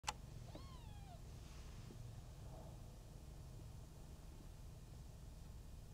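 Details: Brown one-month-old Maine Coon kitten named Mii-chan, from a Tokyo breeding cattery, gives one short thin mew that rises and then slides downward. Near silence follows over a steady low background hum.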